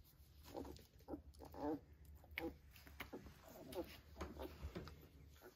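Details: Young Vizsla pups at three weeks with their mother give brief high squeaks and little whines in quick succession, mixed with clicks, chewing and scuffling noises.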